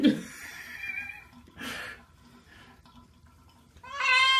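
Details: During bath time a wet house cat lets out a loud, harsh meow at the close, after stretches of splashing water and muffled indoor noise.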